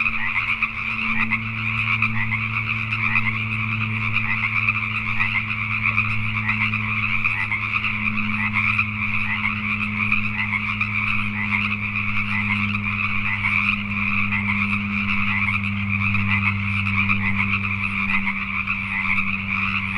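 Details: A constant night chorus of Pacific tree frogs in Richmond, British Columbia, Canada, countless overlapping croaks pulsing steadily, set against a low humming drone that rises and fades in the background.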